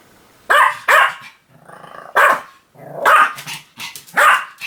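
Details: Pomeranian barking in sharp, high bursts, two quick barks then a softer whine-like sound and a further cluster of three barks, fairly clean with little background.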